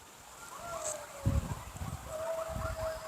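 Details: A pack of coyotes across the street from a house gives distant, thin, wavering howls that slide up and down, with a nearby voice and low thumps.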